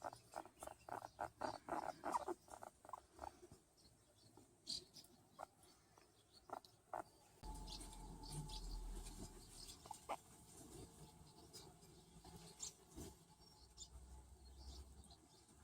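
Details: A male hairless skinny pig (guinea pig) being patted gives a quick run of soft, repeated chirping pulses, then scattered clicks over low rustling.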